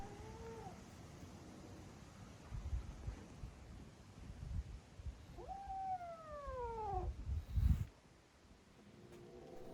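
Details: Kittens that took shelter at a house after a night of pouring rain, huddled resting, give drawn-out, falling meows as warning calls, one rising sharply before sliding down, acting like little bosses claiming territory.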